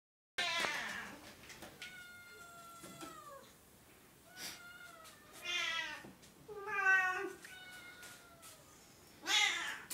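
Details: Edelweiss, a cat from the RU*Meekahoo cattery of Oriental and Siamese cats, gives a string of loud, harmonic-rich meows indoors: about six calls in ten seconds, some drawn out and sliding downward at the end, others short and wavering.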